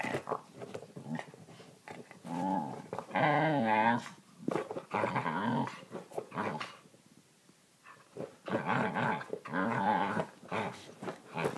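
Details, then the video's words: Pet Australian Kelpie indoors in a small room making funny noises: a series of grumbling, moaning growl-whines with wavering tone, in bursts of a second or two separated by short pauses, with faint clicks between. "Kayla and her funny noises"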